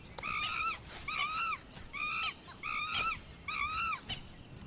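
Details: Vervet monkeys (Chlorocebus pygerythrus) in the Serengeti give a string of shrill, arching alarm screams, roughly one each second, a clever early warning of danger to the group.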